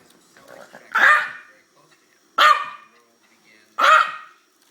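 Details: Yorkshire terrier, 13 years old, sneezing while play-fighting a pit bull. Three sharp, noisy bursts come roughly every one and a half seconds, with soft scuffling before the first.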